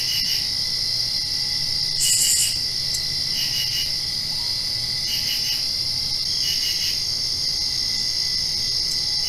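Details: After-rain night crickets keep up a constant high-pitched ringing while clusters of brief chirps pulse in and out, one louder burst standing out early on.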